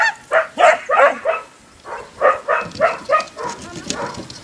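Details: Portuguese Water Dog during agility training at a canine training centre, giving a run of sharp barks in bursts of three or four, with a short pause before a second series.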